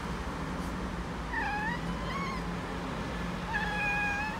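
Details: Okinawa house cat answering birds in a soft voice, a large black male and a calico female kitten present; three smooth wavering mewing notes, one sliding upward, then a longer steady call, over a faint steady low rumble.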